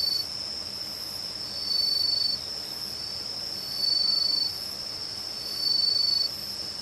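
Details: Autumn insect chorus of crickets, bell crickets, pine crickets and katydids singing through the long night around a home in Uchiko, Ehime, Japan: a steady high ringing trill, with louder pulsing bursts of about half a second roughly every two seconds.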